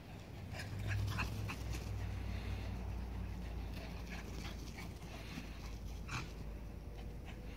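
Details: Two dogs, a buff three-year-old Cavapoo and a brown six-month-old miniature poodle, recorded February 25th, 2016; soft, high whimpers and short yips come in scattered bursts over a low indoor hum.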